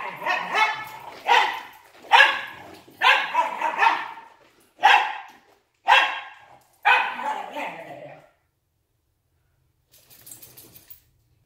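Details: Two Wire Fox Terrier brothers in a rough play fight, giving a run of seven harsh barks about a second apart, some doubled, then silence and a faint scuffle at the end.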